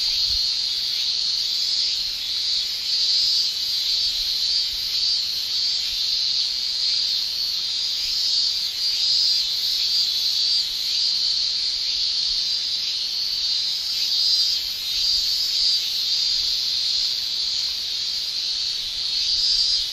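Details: Male cicadas in a Japanese summer, singing with their tymbals: a dense, continuous high shrill holding steady near the top of the range, gently pulsing in loudness every few seconds, with no other clear sounds.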